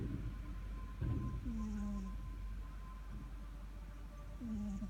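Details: Sleeping pet cat Sugar gives two low, slightly falling snoring drones with faint breathy hiss, partly masked by a steady low rumble and a brief thump near the start.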